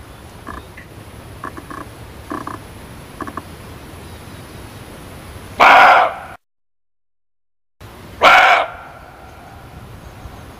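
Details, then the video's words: Muntjac barking twice, each call a brief harsh cough-like bark, separated by a gap of total silence; faint soft chirps and clicks precede them over low background hiss. "SUARA KIJANG"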